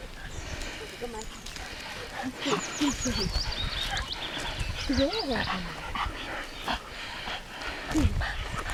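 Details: A lakeside summer day at Lida Nature Reserve with dogs: a few separate bending yelps spaced a couple of seconds apart, a thin high whistling sound above them, and Swedish voices talking throughout.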